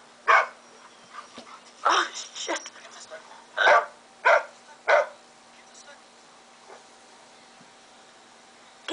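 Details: A puppy reacting while watching himself play with another dog on screen: a series of short, sharp, broadband barks, about six spread over five seconds, with faint human voices between them.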